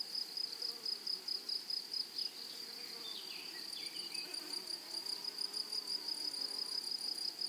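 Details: High insect buzzing from grasshoppers in a flowery prairie meadow, pulsed in quick bursts about ninety times a minute, with a few thin descending bird whistles partway through.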